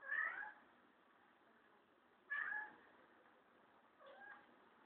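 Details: Kurilian Bobtail cat protecting his teddy bear from a broom gives three meows about two seconds apart, the first two strong and bending downward, the last softer, with faint background hiss between them.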